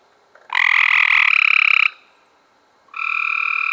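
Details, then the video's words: Cope's gray treefrog recorded in May 2016: a harsh, rapid buzzy trill lasting over a second, then a second fainter trill begins after a short pause; clean background otherwise. "Cope's Grey Tree Frogs"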